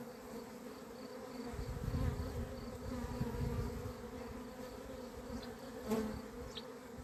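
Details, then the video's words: Agitated honey bees, said to have gone crazy, recorded at the hives on 28 April 2026; a constant layered drone overlaid by low rumbling bursts near two seconds and a sharp brief buzz of a passing bee near six seconds. "albinele mele au luat-o razna"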